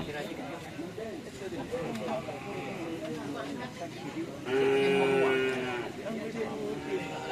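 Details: Cattle at bull-race (karapan sapi) training at the Asemanis field, Pamekasan: one steady, tonal moo of about a second rises above busy crowd chatter and shouting.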